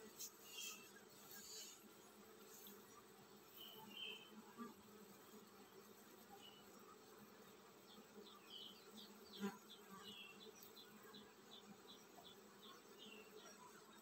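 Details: Honey bees in a colony getting ready to swarm: a constant low hum underlies the recording while small birds chirp repeatedly overhead, with a quick run of short chirps near the end.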